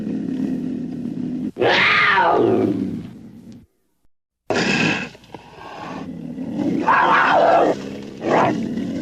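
A cougar makes a long, raspy yowl that swells, arches upward and then slides down. After a short silence, more rough, strained cries follow in uneven bursts.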